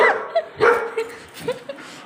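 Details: Labrador Retriever reacting to her own reflection in a mirror for the first time, giving two sharp barks with short whining yips between them, a person speaking Tamil nearby.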